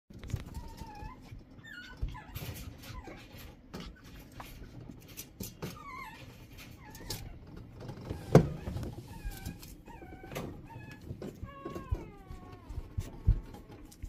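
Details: Shih Tzu giving thin, high whines with bending and falling pitch, scattered at irregular intervals and sometimes in quick pairs, over a steady low indoor hum with a few clicks and one sharp knock.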